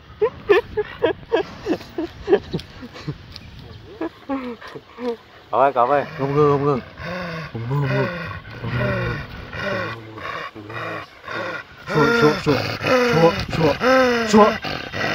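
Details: Phu Quoc Ridgeback dogs, a large and a small brindle, give a run of drawn-out, harmonic yowls that swoop up and down in pitch. They come in irregular bursts, some quick and choppy, others longer and wavering, with people's voices mixed in.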